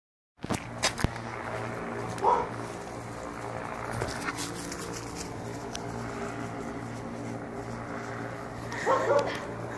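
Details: A dog gives a few short, sharp barks over a steady low engine drone, with knocks and faint voices, while chasing and barking at the Goodyear blimp overhead.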